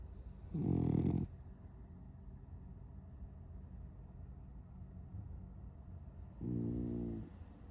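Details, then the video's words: A dreaming French Bulldog gives two loud, rattling snores about six seconds apart, with quiet breathing between them. "French Bulldog dreaming of chasing cats 🐈‍⬛ and snoring"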